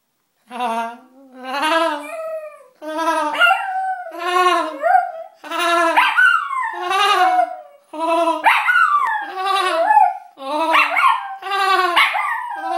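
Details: Perry, a pet dog, howls in response to a person's silly laugh he cannot stand; long wavering harmonic howls slide downward, trading back and forth with bursts of shaky, vibrato laughter in near-continuous rounds.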